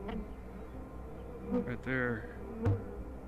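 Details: Honey bees at a busy hive during an inspection at an apiary called The Mountain, hives full of honey with brood and queen present; a steady low buzzing hum fills the clip, with brief higher harmonic tones and clicks of handling.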